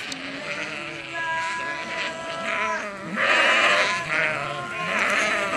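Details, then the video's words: Sheep responding to a farmer calling them: a loud chorus of overlapping, quavering bleats, some high and tremulous, swelling in bursts over a steady outdoor background. "Farmer Calling His Sheep"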